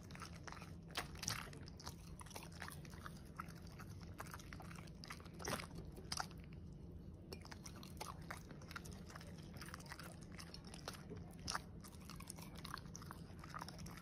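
A corgi chews steak with irregular crunches, snaps and moist smacking, some bites louder than others. A steady low hum runs underneath the whole time.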